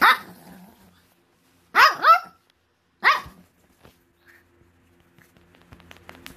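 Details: Pekingese dog, angry at being teased and kept from its breakfast, barking demandingly indoors: three sharp, harmonic barks with a falling, wavering tail, a quick pair near two seconds and one more a second later, then quiet room noise.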